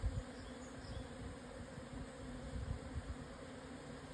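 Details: Japanese honey bees swarming at midday on 17 June 2024, 12:50, at 1054 m in the southern Yatsugatake foothills, Hokuto, Yamanashi, Japan, after a strong wind eased. A soft, continuous droning hum over low rumbling background noise.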